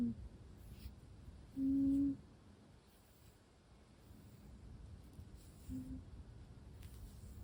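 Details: Sleeping Russian Blue kitten named Sora, murmuring in its sleep indoors in a quiet small room: one soft, steady, hum-like tone lasting about half a second, then a shorter, fainter murmur near the end, with near-silence between.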